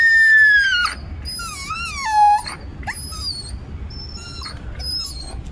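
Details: A street dog mother crying after losing her puppies, which had been kept in another house and went missing; a long high whine sliding downward, then several wavering, quieter whines that fade away.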